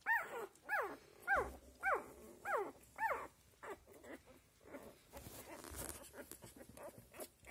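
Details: Australian Labradoodle puppies, seven days old, giving a run of six high squealing cries, each arching up then falling, about two per second, followed by softer faint whimpers and rustling.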